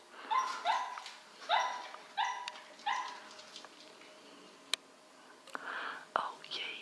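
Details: Korthals Griffon puppies from a litter, exploring alone: a run of short high whimpering yelps, about five in quick succession, then quieter scattered squeaks, a sharp click and a soft voice speaking.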